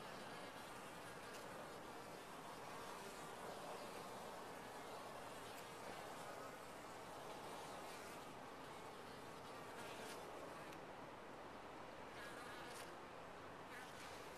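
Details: Top-bar hive of honey bees giving an unbroken, rough, broadband hum throughout, with faint brief crackles and ticks scattered over the steady buzz.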